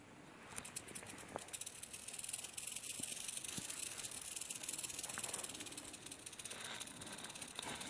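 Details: Western diamondback rattlesnake rattling outdoors, a dense, hissing high buzz that begins with rapid pulsed strokes, then settles into a steady sizzle with a few faint clicks.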